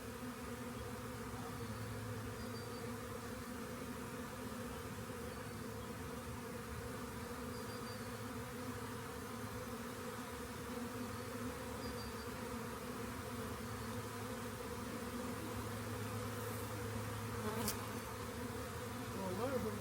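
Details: Swarming honey bees found at a rain gauge and collected make a continuous layered hum, steady and droning, swelling slightly toward the end, with a brief crisp click near seventeen seconds.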